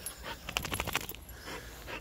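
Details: Whippet panting in short rapid breaths with a few faint snuffling sounds, brief soft whimper-like noises between breaths, steady low background hum.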